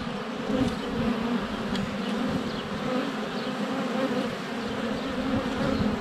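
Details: Honey bees swarming in flight at a hive entrance on a sunny February day, filmed up close with a GoPro Hero 7 Black; a dense continuous droning hum, with faint birdsong chirps above.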